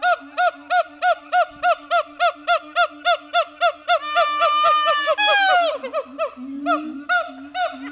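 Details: Captive siamangs at Dubbo Zoo give a fast run of loud, honking barks, then a wavering, descending wail.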